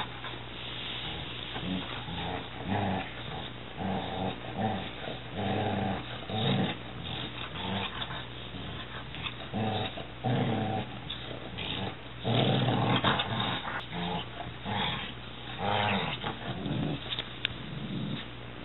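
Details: Weimaraner puppy six months old and six-year-old Catahoula playing wildly together indoors, with continuous rough growls and scuffling noises throughout, low rumbling tones and bursts of play sounds.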